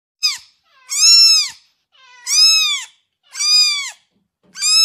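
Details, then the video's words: Kitten crying: a run of high, arched mews, each rising then falling, with strong layered harmonics, repeated roughly every second in a steady rhythm with short silent gaps between them. "Kitten crying"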